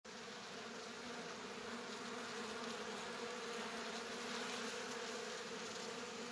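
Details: Robbing honey bees at an apiary in Poland in September 2022 fill the air with a dense, continuous buzzing hum that holds steady throughout.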